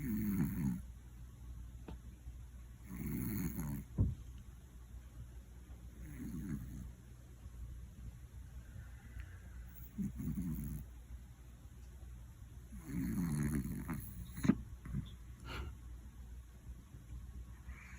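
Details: Loud snoring from Koron, a male Scottish Fold aged one, during an afternoon nap indoors: low, rasping breaths at irregular intervals, some stronger and some faint, with an occasional small tap in between.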